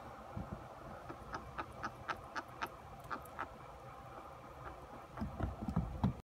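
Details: A chinchilla makes quick, faint, dry clicks, several each second; owner wonders whether he is grinding his teeth or vocalising.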